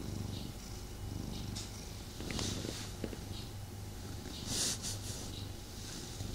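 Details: Male house cat purring during a snuggle with its owner. Continuous deep, throbbing purr, interrupted by a few short clicks and a louder rustle of movement near the end.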